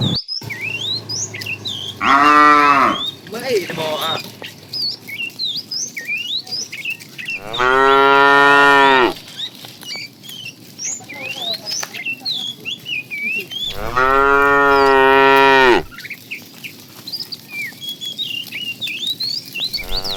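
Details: Herd of tame cattle out in the morning, roaming to find food; three loud, drawn-out moos spaced roughly six seconds apart, the first wavering, set against busy chirping and twittering of many small birds.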